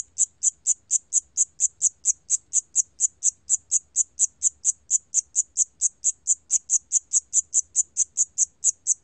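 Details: 샴귀뚜라미 cricket from a 2020 National Institute of Biological Resources recording, giving bright high-pitched chirps in an even train, roughly two per second, over a quiet background.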